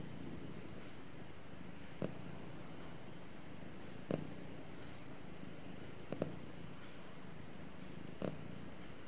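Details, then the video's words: Pet cat purring as it snuggles with its owner, a soft continuous low rumble with faint brief rustles roughly every two seconds. "Cute Cat Snuggles With Owner And Purrs"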